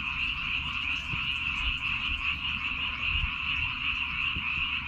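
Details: Frogs crying together in rice fields on Baengnyeongdo Island, Korea, forming a continuous shrill wall of rapid, overlapping croaks that never pauses, over faint low background rumble.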